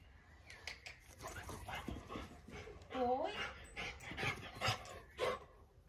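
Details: Two Labrador Retrievers meeting for the first time at home: Toffee, an 8-week-old puppy, and Fudge, a 4-year-old chocolate Labrador. A rising then falling whine mid-clip, with panting-like bursts and a woman speaking gently over it.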